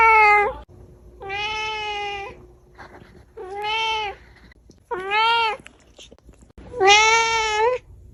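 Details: Domestic cat giving five drawn-out meows of varying loudness, the last one loudest, each flat-pitched and harmonic, with quiet pauses and low room hum between them.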